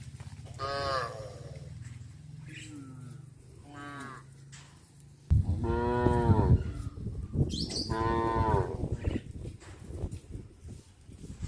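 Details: Cows on a traditional countryside cattle farm moo repeatedly, giving deep drawn-out calls over a steady low rumble, with music playing.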